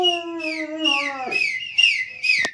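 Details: A German Shepherd gives a long, steady howl that sags slightly, followed by high, falling whistled notes, in Punjab during winter.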